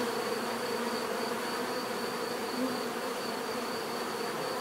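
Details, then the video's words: Bees buzzing steadily in a continuous, dense drone with low hum bands and a faint thin high tone running throughout, no other distinct sounds. "bees therapy relaxing natural buzzing sound"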